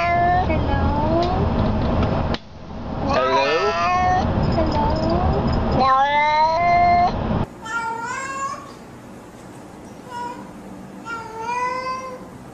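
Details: Cats saying hello in a compilation: a run of several bent, wavering meows, some overlapping, mixed with a person's voice and background noise, with a sudden change in sound between segments.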